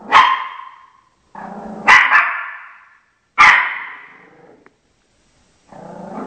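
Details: Guarding its territory against television dogs, the Shih Tzu Chocolate gives three sharp, echoing barks in quick irregular succession, with bursts of TV voices between and after them.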